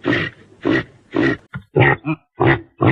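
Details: Caribou giving a rapid series of short, harsh, throaty grunts, about seven bursts in three seconds, each rough and low with a nasal edge, separated by brief silences.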